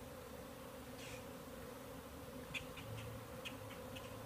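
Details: Many bees flying in the air at once, not all from one hive, seen by a beekeeper and possibly on orientation flights. A steady, low, droning hum continues throughout, with a few faint clicks and ticks over it.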